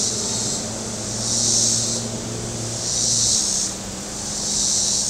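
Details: Cicadas along the Table Rock Lake shore in southern Missouri, very warm weather: loud rasping buzzes that surge and ebb in waves roughly every one and a half seconds, with a faint low motor hum early on.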